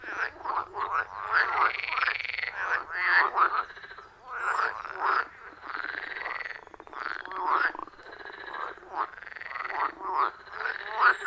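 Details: A loud frog chorus at a wild forest pond, captured on an iPhone 14 Pro with a Shure MV88+ microphone. Rhythmic, rattling croaks repeat in rapid overlapping bursts, some with rising, sweeping tones, and no human sounds.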